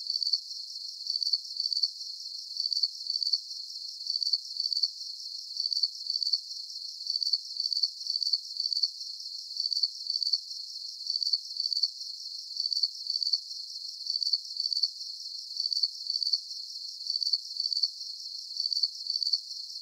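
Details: Crickets at night, offered as a calming deep-sleep soundscape: steady, high, bright chirps pulsing in short bursts at an even pace throughout. All low sound is absent, and no other animals, voices or music stand out.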